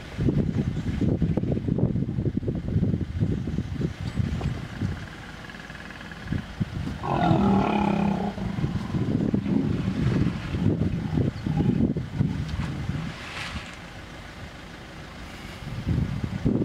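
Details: Hippopotamus stand-off at the Vurhami River, Kruger National Park, South Africa, a female vehemently protecting her young within a small pod: rapid, irregular low grunts throughout, with a louder tonal bellow in the middle, over outdoor background rumble.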